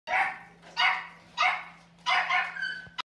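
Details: Miniature (toy) Xoloitzcuintle, a Mexican hairless dog, giving four sharp, bright barks in about three seconds, each burst short and spaced unevenly, over a steady low hum in the background.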